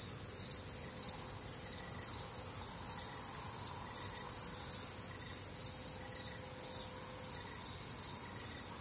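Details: Crickets chorusing on a warm, humid Midwestern summer night: dense high-pitched pulsed chirps, several callers overlapping in steady rhythm around two pulses per second, with a faint low hum beneath.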